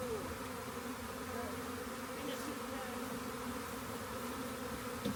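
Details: Honey bee swarm discovered near a rain gauge while being gathered up, giving a constant buzzing drone with stacked mid-pitched tones and no breaks, brief clicks near the end.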